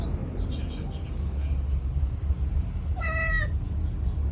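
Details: Rescued male brown-and-white tabby cat, born October 2019, chattering at birds and a cicada indoors; one short harmonic, slightly wavering chirp near the three-second mark over a steady low hum.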